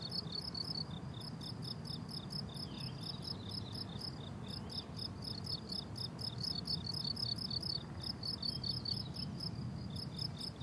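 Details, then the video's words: Blooming summer meadow where crickets sing rapid trains of high pulsed chirps, separated by short gaps, over a low rumbling background. "Relaxing Cricket Sounds on a Summer Meadow"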